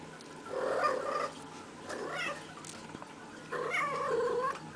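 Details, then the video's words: Playful female cat rolling around energetically, giving three drawn-out, wavering harmonic calls with trill-like pitch wobbles, each about a second long and separated by short pauses, in a quiet indoor room. "Playful Kitty Makes Cute Noises!"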